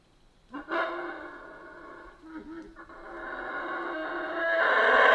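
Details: Howler monkey in Central American rainforest, a sudden rough roar breaking out after near silence, then a steadily growing, throaty droning chorus that rises in loudness toward the end.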